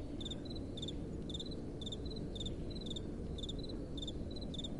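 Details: Crickets calling at night: short, high, paired chirps repeated about twice a second, steady and even, over a constant low rush of soft wind.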